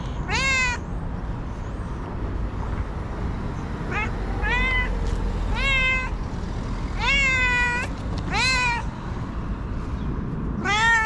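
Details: Angry, nervous white female domestic cat meowing constantly: about seven loud, drawn-out meows with rich harmonics, some rising then falling, arriving in irregular bursts over steady low background rumble.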